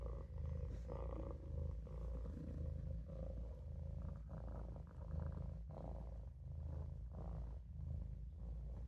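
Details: Resting in a sink, the Maine Coon kitten Olof purrs with a rough low rumble, pulsing in steady breaths about once a second, with faint airy sounds and a light midrange buzz on top.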